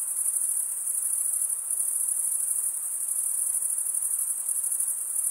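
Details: Crickets stridulating, the males rubbing serrated wing veins together, give a brief stretch of uniform, very high, buzzing trill with a fine fluttering pulse and no other sounds.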